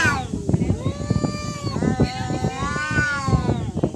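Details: Fighting cats: a sustained, moaning yowl held steady then bending upward and down again, stretching across most of the moment, with speech and rustling noise beneath.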